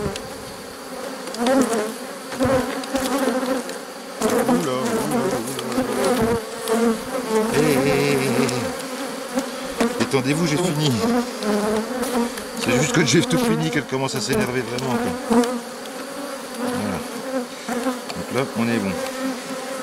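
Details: Honey bees from a drone-laying colony and a neighbouring, not-so-gentle hive hum around the open box during a rescue, 3 May 2021. Continuous layered buzzing with sweeping pitch bends as bees pass close, plus occasional clicks.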